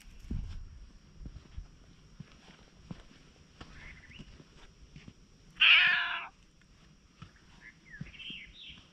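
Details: A wary stray cat approaches the person filming, recorded on a GoPro; after quiet rustling and soft taps, one loud, harmonic meow lasts about half a second, followed by a couple of faint, short chirping mews.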